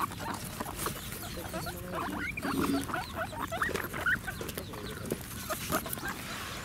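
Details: Guinea pigs at Ostrich Kingdom Sodegaura Farm, Chiba, Japan, on 10 December 2018, calling to ask for food: a run of short, rising, whistled squeaks in quick succession over a murmur of background noise and a person speaking.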